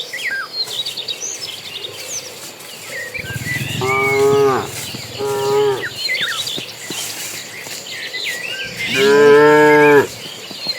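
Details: Dozens of cattle moving to green pasture; two brief moos in quick succession, followed after a pause by a louder, longer bellow, with lively bird twittering and insect buzz throughout.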